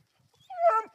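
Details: Three-month-old female Black and Tan Coonhound at a treed raccoon; one rising, drawn-out yelping bark that swells then fades.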